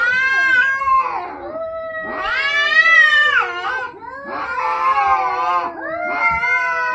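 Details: Fighting domestic cats, long continuous screeching yowls that swell and bend in pitch, several overlapping wails running together with barely a pause, harsh and strained throughout.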